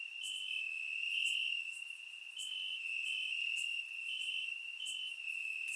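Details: Crickets chirping in grass on a warm summer night in Bulgaria, recorded with a surround microphone: a steady high trill with stepped pulses over it, and sharp brief ticks above, continuous throughout.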